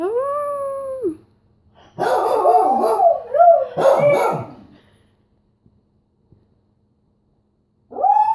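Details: A beagle's bugling howl: a clear held note that drops away, then a burst of coarse, wavering baying in two loud surges, a long quiet gap, and a fresh howl beginning at the end.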